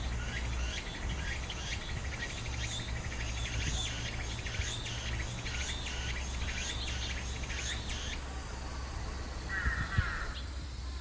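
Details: Meimuna opalifera song in Ozasa-kita Park, together with pine crickets. Rapid repeated high buzzes and chirps run for about eight seconds, then stop, leaving a brief mid-pitched tone and a steady low background noise.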